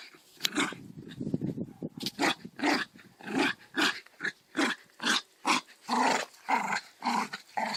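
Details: Dog playing tug of war, giving a run of rough, growly bursts roughly twice a second, each short and harsh, with brief gaps between them, heard indoors with no other clear sounds.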